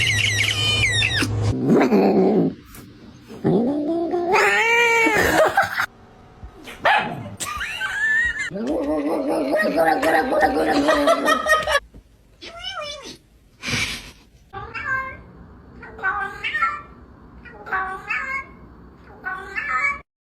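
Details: Domestic cat making loud, wavering harmonic yowls and meows, some long and arching, others short and rising, mixed with snorting, human laughter, screaming and a person asking if it wants to eat.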